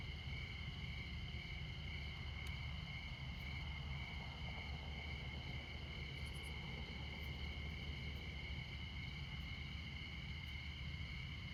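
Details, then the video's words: A continuous high cricket chorus rings at midnight in Montana near I-94. Over it come a few faint ticks, and a deep, steady traffic drone fills the low end. "Midnight Montana Crickets"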